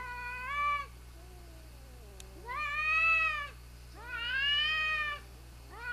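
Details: Mother cat and her wayward son fighting, a series of loud harmonic-rich yowls rising and falling in pitch, each about a second long, separated by lower moaning growls, under a constant low electrical hum.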